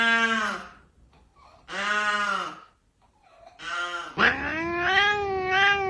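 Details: Domestic cat giving three separate drawn-out meows with rich harmonics, about two seconds apart, then a longer wavering, rising yowl that holds to the end.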